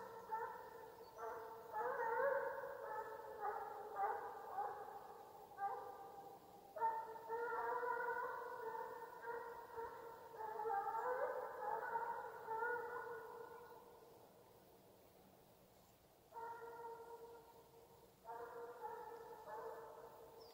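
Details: A Russian Hound named Bas bays on the chase in long, ringing, harmonic-rich howls, in Ivanovo Oblast, Russia.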